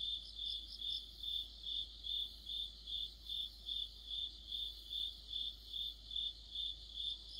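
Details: Deep-autumn insect chorus dominated by a cricket: regular high-pitched chirps pulsing about two and a half times per second, brief higher trills in the opening seconds, steady low hum beneath.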